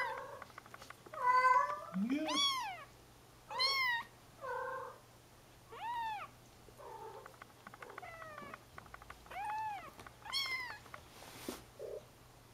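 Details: Young Bengal kittens roaming a playpen: spaced arched meows, each rising then dropping, with one low rising squeak early on and softer mews toward the end, then Dutch speech.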